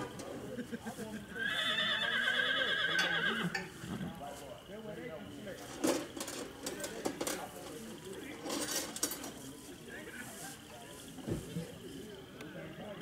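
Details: Tennessee Walking Horse being shod by a young farrier at a saddle horse ride: a shrill, quavering whinny lasting about two seconds, followed by men talking, hoof knocks and metallic tapping.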